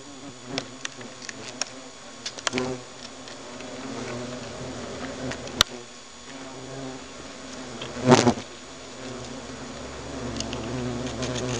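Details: Alarm inside a hornet nest: steady low buzzing hum under scattered clicks and taps, with a sharp crackling burst near the end.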